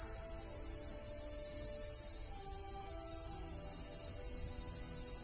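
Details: Male Japanese cicadas calling from trees in summer in Japan: a loud, steady, high hiss that runs without a break for the whole stretch, with faint low tonal lines underneath.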